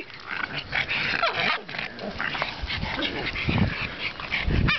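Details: A pet pug puppy, seven months old, makes crazy noises: rough snorting grunts and whiny, nasal rising and falling sounds, ending in louder low snorts.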